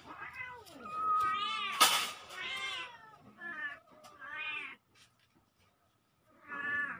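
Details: Two kittens meowing indoors, recorded October 17, 2024: a run of high, harmonic-rich mews, some rising and falling, with a loud sharp click near the middle and a short quiet pause before a final mew.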